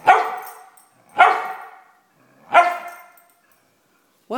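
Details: Sophie, a pet Brittany spaniel, barking when she wants something: three loud, harmonic, whiny barks about 1.2 seconds apart. Each starts sharply and fades out slowly, with quiet gaps between them. A short fourth sound begins at the very end.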